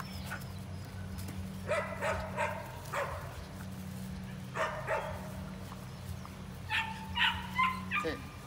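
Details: Pair of Belgian Malinois sisters, Magnolia, Texas; spaced groups of short barks and higher yips, broken by human speech, against a persistent low humming background.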